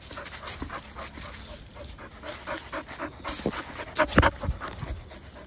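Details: Standard Poodle playing ball in a backyard with its owner. Quick rhythmic panting breaths, roughly four per second, with one sharper louder burst near the end; light outdoor background.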